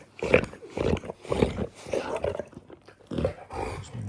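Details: Female Dogue de Bordeaux in hormonal season, humping and licking her owner, gives rough, throaty grunting growls in uneven bursts about a second apart, with a few short pauses between them.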